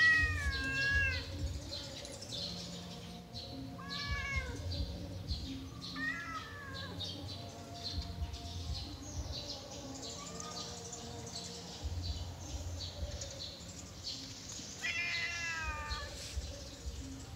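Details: Yellow domestic cat meowing during play, several short rising-and-falling meows spread across the recording with pauses between them, over a low background hum.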